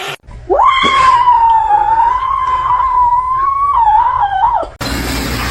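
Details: A kitten crying gives one long, drawn-out, wailing meow lasting about four seconds, sliding up at the start, holding a steady tone that wavers slightly, then dropping away at the end, followed by an abrupt burst of harsh noise.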